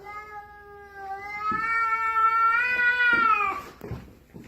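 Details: Staring house cat guarding the stairs against its owner: a long, drawn-out yowl of about three and a half seconds, swelling louder and higher in the middle before dropping off, followed by thumps and a man's voice.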